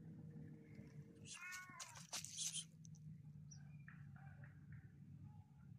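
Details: Homeless mother cat that hates humans gives a harmonic, wavering meow lasting under a second, followed by rustling and faint scattered clicks over a steady low indoor hum.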